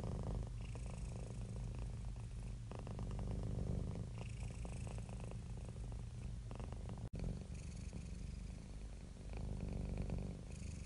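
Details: Contented, relaxed domestic cat purring: an unbroken low rumbling vibration with rapid pulses and regular breath cycles, interrupted by one very short dropout partway through.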